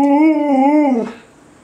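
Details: Cleo, a 4-year-old Alaskan Malamute indoors, 'talks': a one-second wavering, rich-toned moaning vocal that wobbles up and down, then slides lower and fades out, with a person's voice just before and after.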